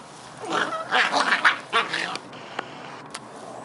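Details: Playful Scottish Terrier pups Bonnie and Basil giving a quick run of squeaky growls and yaps lasting about two seconds, followed by a few faint clicks and knocks.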